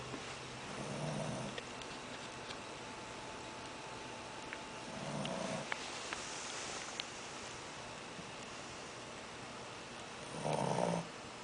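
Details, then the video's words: Shih Tzu puppy asleep and snoring after overeating: three low, rasping snores spaced about four to five seconds apart, the last the loudest, with faint clicks and quiet indoor hiss between them. "shih tzu snoring"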